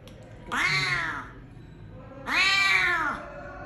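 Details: Injured cat hit by a vehicle and left at the roadside, its jaw broken and a maggot-infested wound near its rear, under treatment at Klinik Amore 5 BSD: two long, loud, drawn-out meows, each rising then falling, about a second apart.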